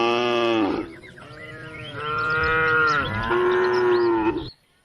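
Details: Cows roaming the country roads, calling the herd home to the barn, giving continuous loud overlapping moos, drawn-out and steady, running almost without pause for over four seconds before stopping abruptly.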